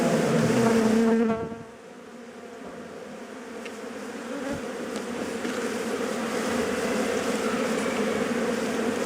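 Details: Dense buzzing of many honey bees disturbed while their hive is harvested for honey by bushmen using primitive technology; a loud hum at first, dropping quieter after two seconds, then a continuous even drone.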